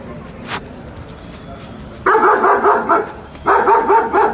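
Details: Five German Shepherds ready to attack, barking in two rapid bursts of deep, harsh, repeated barks, about five in each burst, after a quiet stretch with faint background noise.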